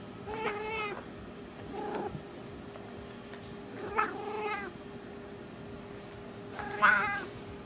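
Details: Small female domestic cat in heat, vocalizing indoors: three wavering, drawn-out yowls spaced a few seconds apart, with softer short murmurs between them and a faint steady hum in the background.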